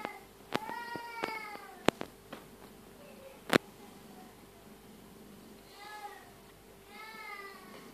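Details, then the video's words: A tabby cat giving birth to her second kitten indoors; a strong, bending meow near the start, then sharp clicks and knocks, and two softer harmonic meows near the end. "Tabby cat giving birth"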